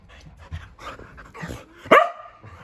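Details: Keeshond, a male pet dog, excitedly vocalizing before dinner while his owner talks to him; soft panting and shuffling give way to one sharp, loud yelp-like bark, with a woman's voice around it.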